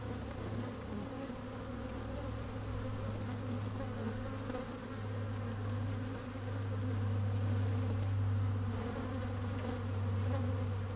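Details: Colony of honey bees in an opened hive, sunny and a little windy, microphone among the combs: a heavy, very low droning hum dominating, layered with fainter higher buzzing, swelling slightly louder toward the end.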